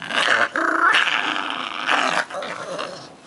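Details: Tater the dog growls over a red bone in play, rough rumbling bursts broken by brief pauses, with a person's voice coaxing nearby.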